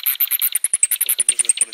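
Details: A common noctule bat at Borowiec gives rapid, high-pitched chirping pulses in a quick steady stream.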